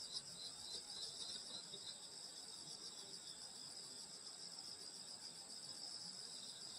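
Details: Countryside insects singing on a summer night outside a grandmother's home, many overlapping shrill trills forming an even, sustained high hum with slight pulsing.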